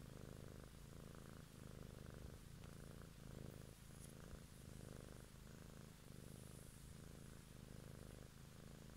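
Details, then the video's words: Domestic cat purring closely miked one evening for ASMR; dense, throaty rumble pulsing in even breath cycles about every second throughout, with soft background hiss. "ASMR Cat song"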